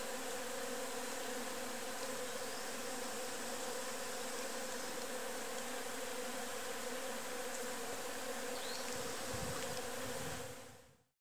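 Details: Constant humming drone from a nest of enxuí wasps (Protonectarina sylveirae), steady in pitch and loudness for about ten seconds before cutting off abruptly, faint hiss underneath.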